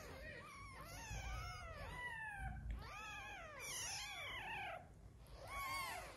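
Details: Several newborn kittens with their mother cat, the litter weak after one kitten died: a dense chorus of overlapping high arched mews, wavering and continuous, with a soft low rumble underneath.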